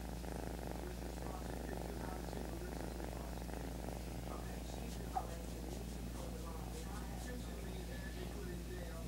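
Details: Kitten purring indoors, a steady low rumbling throb running throughout, with faint soft voices and small rustles above it.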